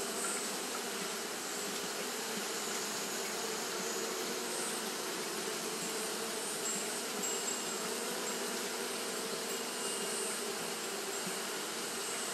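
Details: On a hot day, Japanese honey bees keep up their fanning, a continuous thick hum of overlapping wingbeats with steady low drones and a faint airy sheen.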